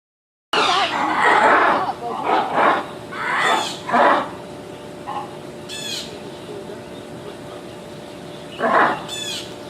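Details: Big lemurs calling in a series of harsh, noisy, broadband bursts lasting about half a second each, clustered early and again near the end, with a faint high chirp between and people talking nearby.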